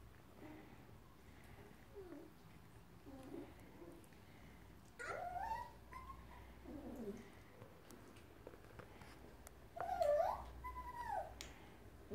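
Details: Several puppies whimpering indoors: thin, high squeals that waver up and down come in two short bursts, one near the middle and one near the end, over a low, steady room hum.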